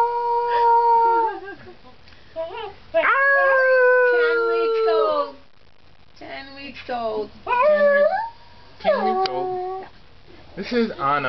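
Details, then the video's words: Young Arctic wolf pup, a few weeks old, howling from a cat tree: bursts of tonal, bending howls and short whiny notes broken by quiet gaps, with a person's voice mixed in. "HOWLING BABY WOLF"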